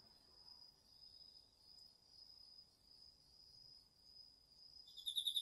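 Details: Autumn insects at night in a Japanese garden field, crickets among them, captured on a DR-40X: a steady unbroken high-pitched trill dominates, with a burst of rapid pulsed cricket chirping starting at the very end.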